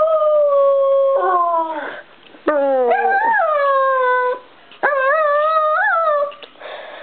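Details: Singing Bichon Frise: several sustained tonal howls, each bending and wavering in pitch, some rising to a brief peak before falling, separated by short pauses.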